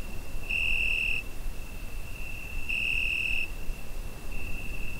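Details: Cricket on a summer night, recorded with a Zoom H5: bright high-pitched trill bursts lasting under a second, about two seconds apart, joined by a faint steady tone, with a third burst beginning at the end over low background rumble.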